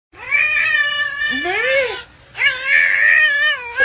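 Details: Domestic cat meowing indoors: two long, strongly harmonic meows, the first bending up and down near its end, the second steady and drawn out, separated by a brief pause.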